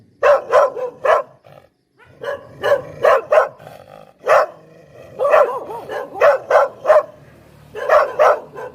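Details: Poodle barking for pranking: short sharp barks in quick runs of three to five, with brief gaps between runs, about fifteen barks in all; a quiet pause near the two-second mark.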